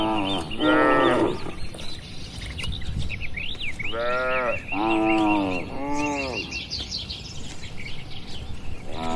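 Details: Tame herded cattle grazing in a broad oil palm plantation: one drawn-out moo, then two longer bellows a little later, each rich in stacked harmonics, while small birds chirp steadily in the background.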